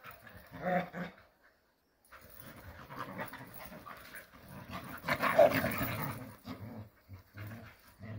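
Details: Jindo dogs at play in a rural setting, with breathy panting and gruff, growling scuffles that come in quick, uneven bursts. A short silence falls near the start before the roughhousing noises swell again.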